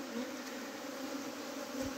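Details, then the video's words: Bees from a colony that was trying to abscond, with a queen gate fitted the previous evening. A steady low hum with two droning tones runs through the whole clip, with no other clear sounds. "मौरी भाग्न बाट बचाइएको"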